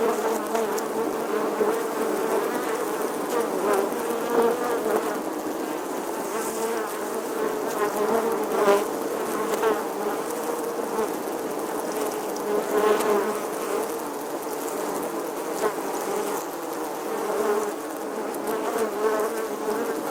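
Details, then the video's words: Bee buzzing in summer: a steady, droning hum with a wavering tone, swelling and fading a little as the insect moves, continuous throughout with no other clear sounds. "Bee Buzzing Sounds"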